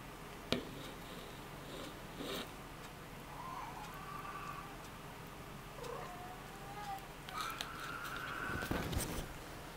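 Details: A Ragdoll cat born 20 February 2015 gives soft, drawn-out mewing calls, steady and slightly rising, while nursing in a cat hammock, amid quiet room sounds.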